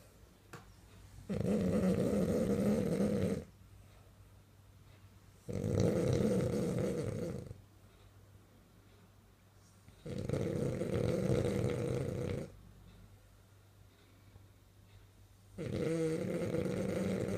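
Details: Sleeping French bulldog snoring as it dreams, four steady, regular snores lasting about two seconds each with low droning rattle, spaced by roughly two-second breaths of near silence in a quiet room.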